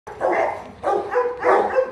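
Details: Kute, a 15-month-old female Rottweiler of the Gervi line, gives three short tonal whining yelps about half a second apart, mid-pitched with a steady ringing tone, and no other sounds.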